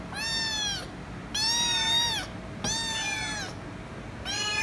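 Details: Loud, insistent meowing from a kitten that keeps calling until given head rubs; four long, clear, harmonic meows, each nearly a second, slightly arched in pitch, spaced about a second apart over a quiet low hum.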